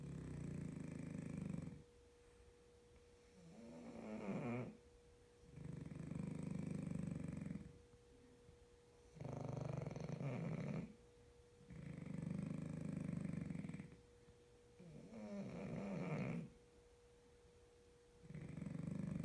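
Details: Two French Bulldogs snore together at night in loud, rasping bursts that repeat every few seconds.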